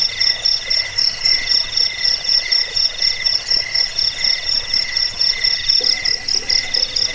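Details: Crickets calling, a track for chasing off rats, easing sleep and tutoring songbirds; fast shrill chirps pulse about four times a second, layered over other steady trilling insects.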